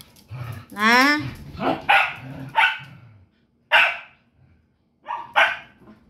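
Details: Pet dog barking during play with another dog, several sharp barks between a woman's scolding voice telling the dogs to stop and go to sleep.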